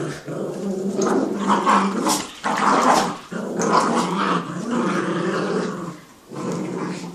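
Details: A Jack Russell and a Yorkie playing tug of war indoors; steady rumbling growls run almost continuously, breaking off briefly a few times for short gaps before resuming, with throaty, rasping texture throughout.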